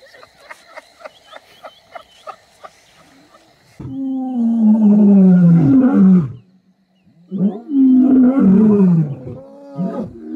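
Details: Wild lions of the Kambula pride and Ndhzenga males at MalaMala Game Reserve, filmed during mating. Faint rhythmic ticking first, then two deep, loud, drawn-out roars that sweep downward and break off in the middle.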